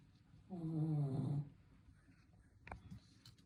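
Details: Sleeping Shih Tzu giving a single loud, buzzy snore of about one second, deep and rattling with stacked tones, followed by quiet breathing and a faint click.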